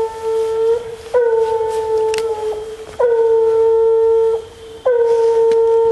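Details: Female Bluetick hound on a coon hunt, howling in sustained, horn-like tones. Each note slides up slightly at its start, then holds steady. About four long bawls with short gaps between.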